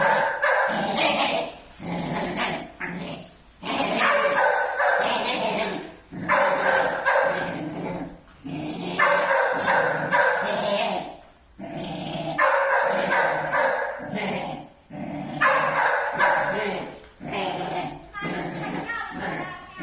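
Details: Angry six-month-old Pit Bull Terrier puppies fighting among village dogs: rapid, ragged barks and snarls packed into bursts of about two seconds, repeated with short lulls over twenty seconds.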